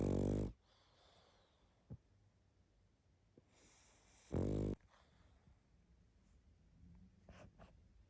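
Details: A sleeping pug snoring loudly: two deep, rasping snores about four seconds apart, each a harsh half-second rumble, with soft breathing and faint clicks in the quiet gap between them.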